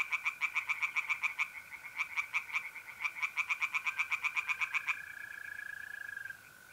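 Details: A mid-April night at a pond in north-east Italy: tree frogs deliver quick, regular croak pulses in three closely spaced bursts, then fall silent, leaving the continuous high trilling of mole crickets.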